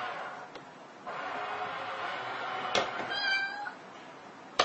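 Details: A cat gives a drawn-out, steady tonal meow lasting about two and a half seconds, followed by a brief higher squeak, with a few sharp knocks or clicks around it.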